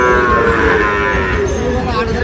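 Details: Sahiwal bull calves at a cattle market, with a Dhaka farmer buying, 16 March: a steady, sustained moo running through the whole short stretch over low market rumble.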